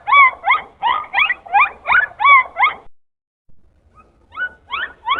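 A dolphin gives a rapid run of squeaky, rising and falling whistles, then pauses and starts again.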